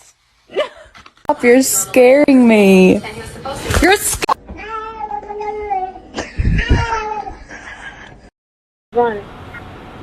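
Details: Domestic cat meowing, with a few drawn-out, bending meows at the start followed by shorter calls, mixed with human speech and brief bursts of other household noise, ending in a short silence and a final faint call.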